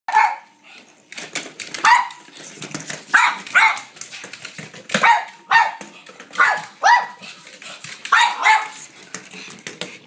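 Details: Blind female pug playing fetch indoors with a noisy battery-operated ball she tracks by sound; sharp excited barks come in quick bursts every second or so, with rattling and thumping of play between them.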